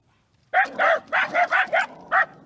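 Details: Scottish Terriers barking during a typical day at home, a quick burst of sharp, mid-pitched barks, about seven in under two seconds, loud and close.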